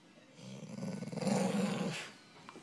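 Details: English Bull Terrier growling during play, indoors: a low, rumbling growl of about one and a half seconds that swells and fades, with a person's voice just before.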